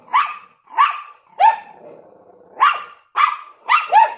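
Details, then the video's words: ['At a window, a Yorkshire Terrier and a Lhasa Apso bark: single shrill yaps spaced roughly half a second apart, a brief low grumbling pause in the middle, then a fresh run of quick barks.'] "Yorkshire Terrier and Lhasa Apso Barking in the Window"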